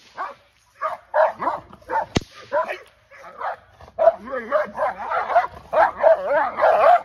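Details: Aries, a female English Mastiff at her first training session, gives rapid strings of yelping barks that build into a denser, wavering run near the end, with one sharp crack early on.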